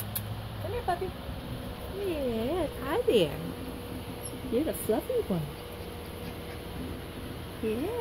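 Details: Six-week-old German Shepherd puppies whining in short wavering, rising and falling notes, several bouts across the recording, over a steady background hum.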